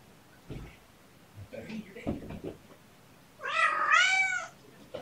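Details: Domestic cat indoors, where mother cat Gamora lives with her five kittens, calls for her human babysitter on a June morning. After brief speech and rustling, one loud, drawn-out harmonic meow bends up and then falls away.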